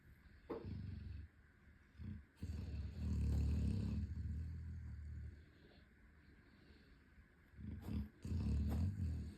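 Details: 11-month-old Chocolate Labrador running in his sleep and snoring loudly: deep rumbling low snores in uneven bursts, one long sustained snore in the middle, brief quiet gaps between.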